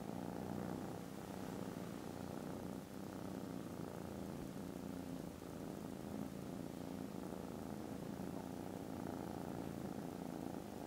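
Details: Contented foster kittens snoozing after lunch purr very loudly on 18 December, a continuous deep vibrating rumble that stays even for the whole stretch with only a tiny dip near the start.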